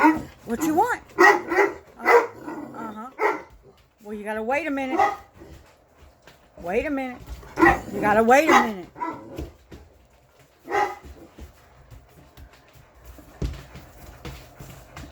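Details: Six English Mastiffs, Roxy, Riley, Cammie, Sammie, Axl and Rose, talking back: a run of barks, then wavering moaning howls rising and falling in pitch, repeated several times, with a woman's voice answering them.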